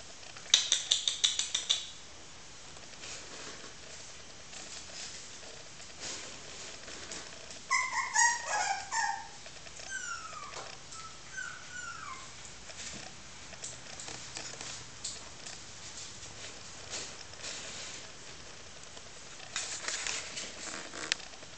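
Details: Miniature Schnauzer puppies of a litter playing indoors: short bursts of high, squeaky whines and yips with falling pitch, clustered around the middle, amid scratching, clicking and rustling handling noises and a louder rattling patter at the start and end.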